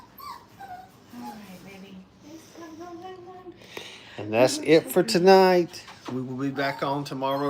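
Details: Five-week-old Brittany puppies playing at a training kennel. Soft, wavering whimpers open the recording, then loud, high, harmonically rich yelps and whines rise and fall in quick overlapping bursts during the second half.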